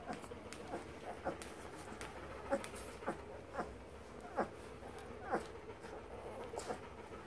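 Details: Seventeen-day-old German shepherd boxer mix puppies give short, high whimpering squeaks, spaced about a second apart, over a steady low background hiss.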